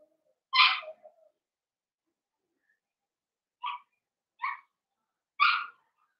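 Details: Blenheim Cavalier King Charles Spaniel puppies indoors; one loud yip with a short whimper, a pause, then three quick high yips about a second apart.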